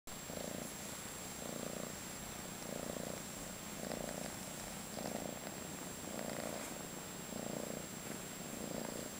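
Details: Purring from a 5-month-old female calico kitten in foster care in San Carlos, California: a steady rumbling purr pulsing in regular bursts a little over once per second, each with a low droning hum, in a quiet indoor room with a faint constant high whine.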